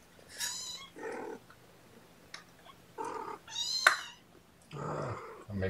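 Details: Kittens in a small room at a morning syringe feeding of formula make a few separate thin, high mews with gaps of quiet between them. Soft handling sounds are heard, and a person speaks near the end.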